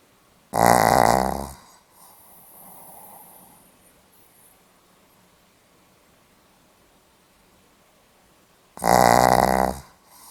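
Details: A Pomeranian dog snores on 8 November 2015, two long gravelly buzzing snores roughly eight seconds apart, each about a second long, followed by a faint airy outbreath and a quiet pause.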